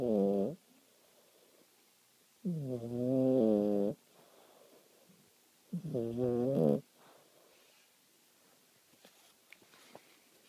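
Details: Cat asleep and snoring indoors, three long rasping breaths with a buzzy, layered tone, each lasting about a second or more and spaced roughly three seconds apart, with near silence between them and faint ticking toward the end.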